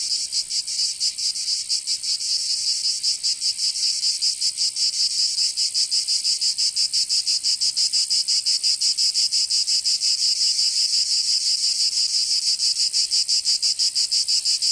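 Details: Shrill, sizzling cicada song heard in summer in Provence, southern France, a sustained high drone with fast, fairly even pulsing throughout the long stretch and nothing else audible.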